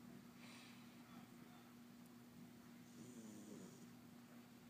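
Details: April, a pet cat, snoring while awake indoors: two soft, breathy rasping bursts about two and a half seconds apart, noisy and hissing, over a steady low electrical hum.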